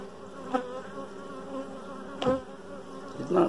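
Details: Inside a hive with a dark queen, honey bees give a continuous low buzzing drone, swelling briefly louder as individual bees pass close by.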